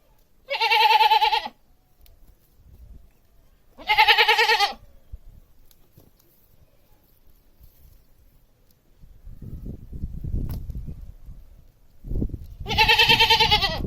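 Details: Domestic goat giving three separate quavering bleats, each about a second long and several seconds apart, with quiet gaps and a patch of low rumbling noise before the last bleat.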